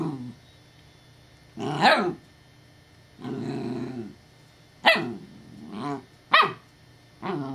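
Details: Alarmed female puppy Evangeline, with a deep, rich voice, mixes rumbling growls with loud, harsh barks in an irregular series, about six bursts within several seconds, at a perceived threat.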